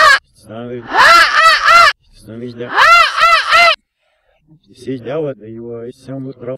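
A pug gives two bursts of loud, wavering yowls, each sliding up and down in a talking-like rhythm. Lower, speech-like sounds follow, possibly a person talking.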